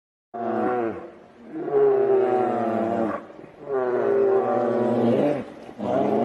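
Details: Two grizzly bears fighting, loud harmonic roaring growls in long bursts of about one and a half seconds, four rising-and-falling roars in quick succession with brief pauses between them.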